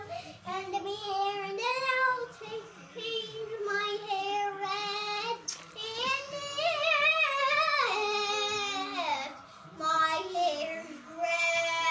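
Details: A young girl sings a made-up tune indoors in a small room, her voice sliding up and down in wavering phrases with short pauses, and no animal sound stands out.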